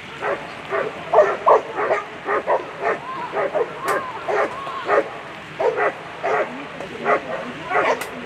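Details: German Shepherd at a world championship agility competition; a run of short, fairly high barks and yips, roughly two or three per second, steady throughout, over a constant crowd and hall murmur.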